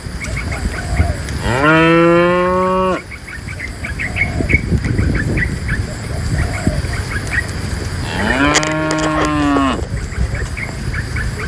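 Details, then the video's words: Two full, strongly harmonic cow moos, each about a second and a half long, ring out as a herd of dozens is guided from the forest to the pen; small birds chirp between them. "Herding dozens of tame cows from the forest to the pen,A livestock herder in the sound of a cow mooo"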